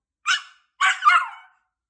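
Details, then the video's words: Puppy talking back as if protesting unfairness while being told to sit: a short sharp yip, then a pause, then a longer two-part complaining bark that trails off, in a quiet indoor setting. "억울하다고 말대꾸하는 강아지"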